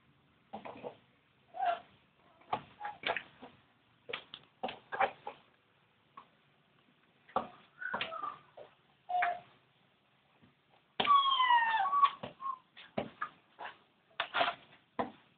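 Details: Newborn Labrador Retriever puppies from a litter of thirteen, giving short high squeaks and whines in quick irregular bursts, with a few longer tonal cries that slide downward, separated by brief quiet gaps.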